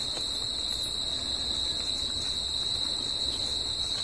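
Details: Nighttime crickets in nature producing an even, ceaseless high trill at a fixed pitch, paired with a fainter higher whine, no other distinct sounds apart from a soft low rumble.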